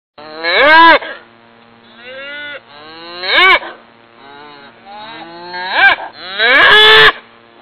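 Repeated moos from a cow, deep and harmonically rich, each bellow rising then sagging in pitch. The calls come in uneven bursts about every one to two seconds, the last one loud and strained.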